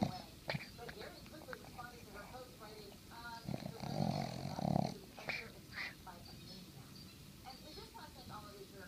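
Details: A female Boston Terrier sleeping next to her owner on a Sunday morning while the TV is on snores with low, rasping breaths and two louder snorts midway, over faint background voices.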